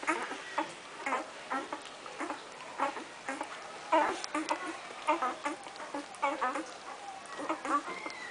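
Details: Irish Wolfhound puppies crooning while they eat: short, nasal, squeaky croons and whines in overlapping bursts about once a second, with faint feeding noises between them.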